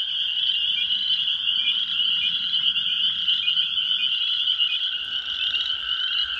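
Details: A nearly deafening spring peeper chorus at dusk on an April 15 evening at an old pond in a flooded sand pit, after a very warm day. The frogs are very close, and countless high piercing peeps blend into a steady ringing.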